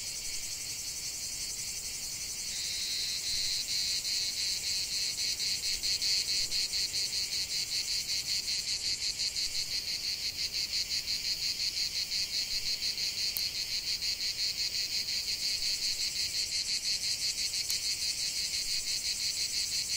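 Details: Cicadas in a lavender field keep up a continuous shrill buzzing chorus that swells slightly after the first few seconds, pulsing rapidly about three times per second, with a couple of faint clicks.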